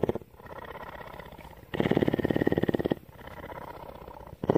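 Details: Female cougar kept at a rescue facility in Bridgeport, Texas, purring. A soft, throbbing purr swells into one loud, coarse, rapidly pulsed burst of just over a second, then sinks back to a quieter rumble before rising again.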